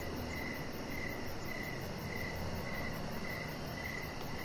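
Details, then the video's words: Crickets in the evening outside a house deck, short high chirps repeated at a regular pace, around two per second, with a soft low drone behind. "3 Hours Of Chihuahua Puppy Laying On Deck with Cricket Sounds"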